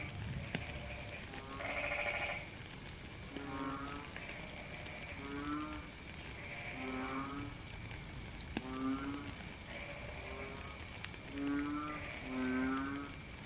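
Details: Several frogs call during rain, giving a chorus of short, reedy, harmonic croaks spaced about a second apart. A thin continuous high whine and the patter of rain fill the background.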